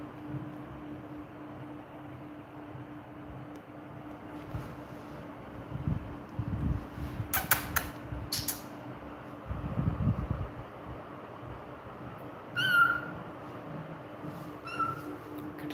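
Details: Persian kitten, 29 days old and one of a litter of three, calling for its mother indoors: two brief high, harmonic mews near the end, the first clearer, over a steady fan-like hum and a few soft knocks.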